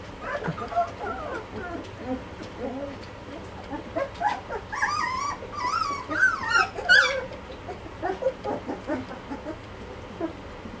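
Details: Young Malinois pups at two and a half weeks whimpering, scattered soft squeaks building to a burst of loud, high, wavering whines midway, then fading to quieter intermittent cries.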